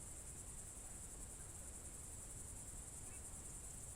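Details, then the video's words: Evening cricket chorus, June 2023, Novye Buregi tract in Novgorod Oblast, Russia: a continuous high-pitched shimmering trill with a faintly pulsing texture, steady in loudness, with low background rumble. "Звуки природы , сверчки"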